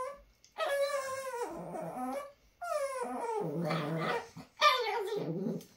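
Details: Dixie, a pet Chihuahua, talking indoors: three drawn-out, whiny, moaning vocal bursts with rich harmonics, each sliding down and wavering, separated by short pauses, in a quiet small room.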